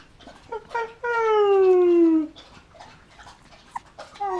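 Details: Golden Retriever puppies, 20 days old, playing with their siblings: one long, loud whine slides slowly downward for over a second, framed by short soft squeaks and faint rustling before and after.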